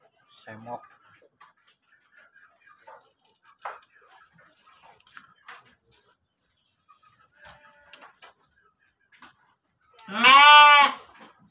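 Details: A pregnant kacang goat in its pen in Subang, Indonesia. Scattered quiet clicks and faint voices run for ten seconds before one loud, wavering bleat close to the end.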